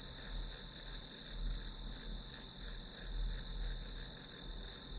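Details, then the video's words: High, ringing grass-insect trill pulsing in quick regular beats, close to three per second, steady over a faint low hum. "풀벌레 소리"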